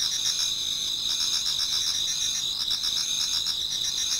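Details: Many autumn insects singing in a Japanese garden towards dawn: a dense, steady high chorus of overlapping trills and pulsed chirps, with bands of ringing tone layered together and no pauses.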